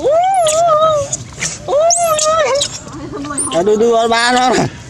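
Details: Baby monkeys screaming loudly to request food while being fed; drawn-out shrill cries that rise, hold and bend downward, several in a row, overlapping with a human voice.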